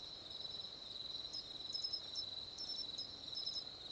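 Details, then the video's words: Matsumushi cricket, nominate subspecies of mainland Japan, giving brief sharp, clear high chirps in small groups over a steady, unbroken high insect trill that runs throughout. "マツムシ（Xenogryllus marmoratus）の鳴き声"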